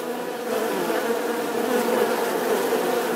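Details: Bee buzzing steadily, a dense continuous hum centred low with a strong tone around 500 and broadband rasp above, level and unbroken for about three seconds.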